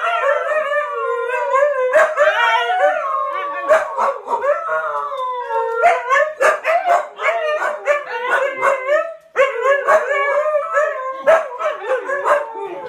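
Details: A pack of huskies howling together: several overlapping, wavering tones that rise and fall and are sustained for seconds, broken by short sharp yips and barks throughout.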